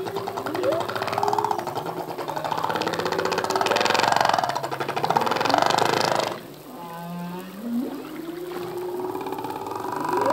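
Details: Male humpback whale singing underwater, full-length song that changes yearly; moans and upsweeping whoops layered with tonal units, one section of rippling pulsed sound, then quieter rising swoops.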